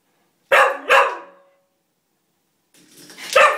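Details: A Cocker Spaniel, crying and barking to play with a door spring after it was pinged, gives two quick, sharp barks, then a third after a short pause.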